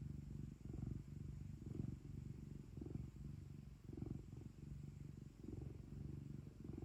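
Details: Domestic cat purring indoors at home, a deep buzzing rumble rising and falling in rhythmic surges about once a second through the whole stretch, over quiet background hiss.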